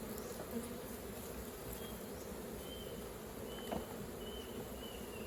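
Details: Hive of honey bees opened for honey harvesting. A dense, even, low buzzing fills the clip, broken by a couple of soft taps and faint high whistled notes in the background.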